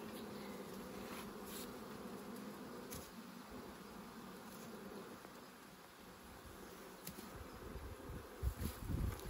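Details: Bees buzzing steadily while honey is taken, a sustained low hum layered with scattered clicks, and rumbling thumps of handling building toward the end.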